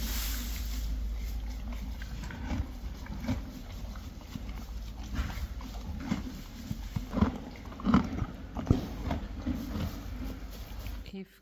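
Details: Friesian horses and foals eating hay: soft, irregular crunches that start sparse and grow denser and louder toward the end, over a low steady hum.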